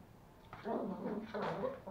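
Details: Indoors in Kathmandu, Nepal, toy Pomeranian puppies Pomo and Pomy play-fight over a sock, giving two low, rough, grumbling growls, each lasting under a second, over faint room noise.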